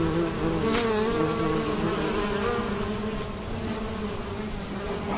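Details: A steady, droning hum of a large swarm of honey bees flying while foraging for nectar to bring back to the hive, with layered low buzzing tones shifting slightly in pitch as individuals pass close.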